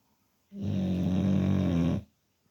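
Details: Teddy the bulldog, fast asleep indoors, lets out one long rumbling snore of about one and a half seconds, deep and steady with a buzzy low drone, then silence.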